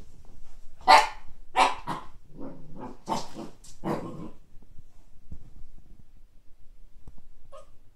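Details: Kake, a Siberian Husky puppy seeing a frisbee for the first time, gives loud sharp barks and lower rough grumbling over the first four seconds, then falls mostly quiet with soft background noise.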